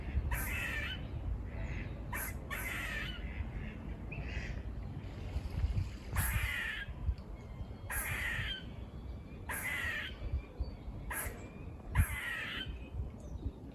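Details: Squirrels near a farm giving buzz-like barks: harsh, noisy bursts about half a second long, repeated roughly every one to two seconds, over a steady low rumble with faint thin whistled tones in the background.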